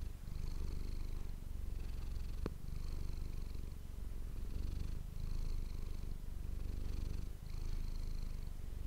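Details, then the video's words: Steady low purring from Manis, a household cat captured with an ASMR microphone; the rumble pulses softly in breaths about every second, with a single sharp click early on. "ASMR cat purring ❤ Manis die aan het spinnen is"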